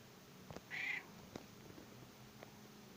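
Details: Domestic cat being stroked against the fur gives one short, clear, high meow lasting about a third of a second, followed by a few soft clicks and handling noises in a quiet room.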